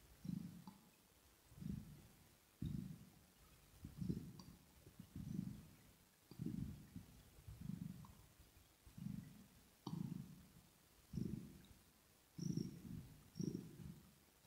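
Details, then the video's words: Kitten purring contentedly during grooming, recorded ear to ear. Steady deep rumbling bursts about once a second give a regular breathing cadence, and light licking and smacking clicks are heard between them. "Asmr With Kitten Cat 😽 Ear To Ear Purring"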